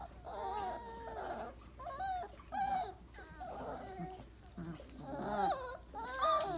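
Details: Twenty-eight-day-old Weimaraner puppies napping in a pile after breakfast; repeated whiny squeals and whimpers, roughly one burst per second, with bent, quavering high tones between soft shuffling.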